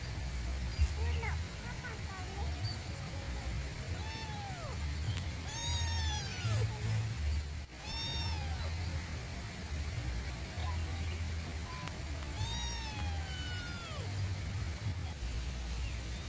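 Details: Cat said to be sick, calling while yawning. It gives drawn-out meows that arch up and fall, roughly five across sixteen seconds, over a steady low hum and background noise.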